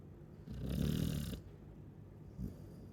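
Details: A Chow Chow asleep gives one loud, raspy snore lasting nearly a second, followed by quiet breathing and a faint short snort.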